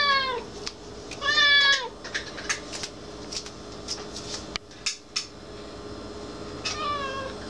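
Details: Black cat named Irina meows repeatedly: a short falling meow, a longer arched meow around one second, scattered clicks and taps in the middle, then a final drawn-out meow, over a faint steady hum indoors.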